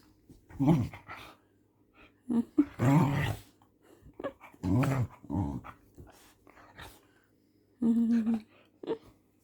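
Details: Pet dog growling and grumbling while playing at night, short rough bursts with breaks, a woman talking over it.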